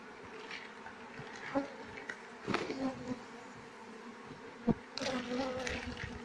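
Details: Queenless Asian honey bee colony with honey-laden combs: a soft, continuous buzzing drone under scattered taps and rustles from working the hive.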